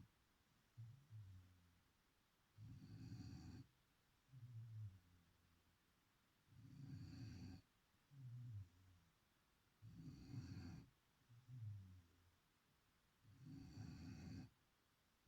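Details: Chipi, a sleeping beagle, snoring: deep, rumbling low snores come in paired breaths, a shorter rattling inhale followed by a longer, broader snort, roughly seventeen per minute, with quiet pauses between them in a still room.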